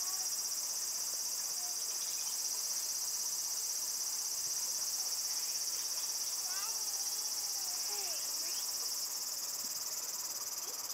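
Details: Cicadas in Japan ringing very loudly, an unbroken shrill metallic buzz at constant pitch, while soft chirping bird calls and a few sliding whistles sound faintly underneath.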